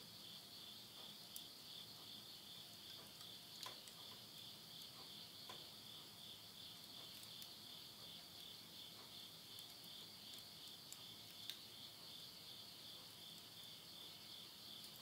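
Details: Japanese countryside insects singing at midnight in September 2020, Yurihama, Tottori. An unbroken, high-pitched pulsing trill fills the night, while scattered soft crackles come from a wood fire burning in a stove.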